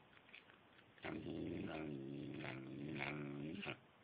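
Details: Trained Silken Windsprite dog 'telling a story': one sustained, warbling, growly moan of nearly three seconds, wavering in pitch with strong harmonic layers, ending abruptly and followed by quiet.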